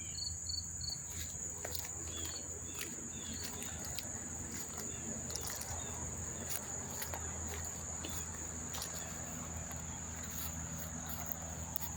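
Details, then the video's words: Lots of crickets chirping near Monmouth Park Racetrack, New Jersey, on September 4, 2023: a constant high trill with brief clusters of pulsed chirps, scattered clicks and knocks, and a low droning hum throughout. "sound of the crickets chirping"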